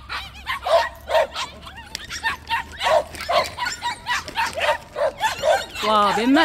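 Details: White puppies in a plum orchard, several together, greeting a visitor; sharp high barks repeated about twice a second, a woman's voice talking over them, a rising whine at the end.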